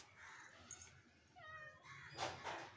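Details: A cat lets out one drawn-out, harmonic meow lasting about half a second. It dips and then wavers upward as a fearless small child touches its tail. Brief clattering bursts and low household noise surround it.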